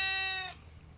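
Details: Domestic cat giving a drawn-out meow: a steady, clear, tonal cry held evenly for about half a second, then cut off, leaving a quiet room.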